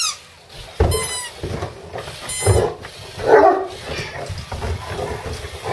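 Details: Indoors, a two-year-old Harlequin Great Dane barks back at an electric screwdriver; short bursts of the tool's whining motor alternate with deep, irregular barks about every second or two, with room noise between.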